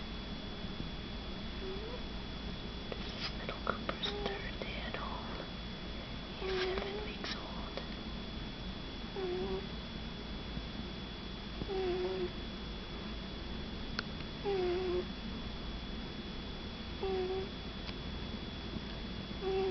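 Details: Sleeping Shih Tzu puppy, Mini Cooper, snoring in a small room, each breath giving a short whistling nasal note, steady every two to three seconds, with faint whispering and soft clicks in the background.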